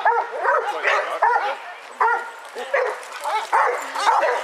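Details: Basset Hounds, 22 of them, on a group walk in Hazlehead Park, Aberdeen, Scotland, on February 2nd 2014; repeated baying barks and wavering howls roughly every half second, overlapping from several dogs, with people talking in the background.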